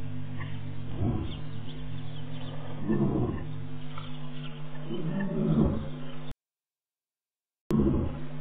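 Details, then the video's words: Male lion staking claim on territory around Tau: deep, grunting roars in four pulsing bursts about every two seconds, with a steady low hum beneath and a short silent gap near the end. "Lion at Tau"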